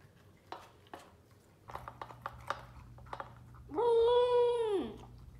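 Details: Willo, a female Pembroke Welsh Corgi in Phoenix, Arizona, gives her food "awoo" while eating: crunchy chewing clicks first, then a single smooth, steady howl about a second long, slightly rising then dropping at the end, in a small room.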